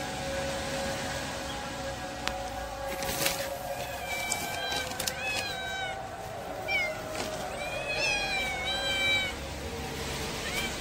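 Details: A pregnant domestic cat gives several short, rising-and-falling meows in clusters, spaced a second or two apart, over a steady engine-like hum.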